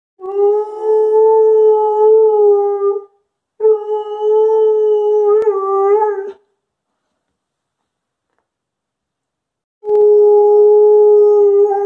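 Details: Female dog howling in response to an ambulance siren: three long, steady, mid-pitched howls of about three seconds each, separated by silent gaps, with a slight waver near the end of the second.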